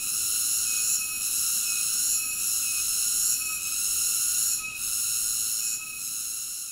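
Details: High, hissing cicada chorus with stacked shrill tones, steady drone broken by soft pulses about once a second and a slight fade near the end.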